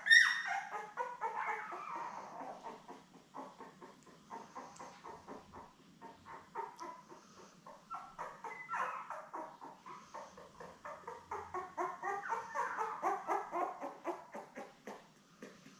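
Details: Labrador Retriever litter of seven newborn puppies, born May 24, 2021, lying with mother Belle indoors: overlapping high whimpers and yips from several pups, a dense chattering stream rising and falling over fifteen seconds.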